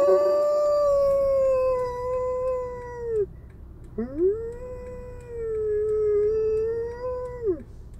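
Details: Howling Alaskan Malamute with fire engine noise: two drawn-out howls, each dipping slowly and ending with a downward slide. The second begins with a quick upward sweep after a brief gap.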